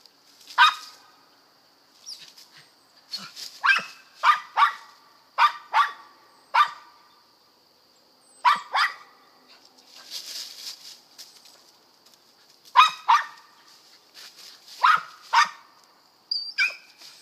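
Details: Squirrel dogs from a west Kentucky kennel give sharp, ringing barks in scattered doubles and triples, with short pauses between bursts and a constant high-pitched insect hum behind them.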